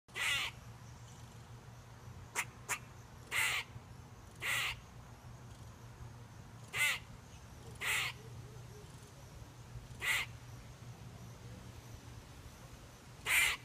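A squirrel gives harsh, rasping bursts, each under half a second, spaced irregularly a second or two apart.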